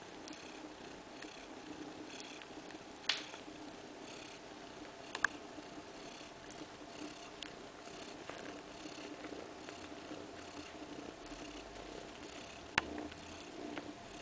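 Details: Continuous low purring from a mother cat, Kaewe, lying with her two-week-old kittens in a living-room nursery corner, with scattered sharp clicks and small knocks at intervals.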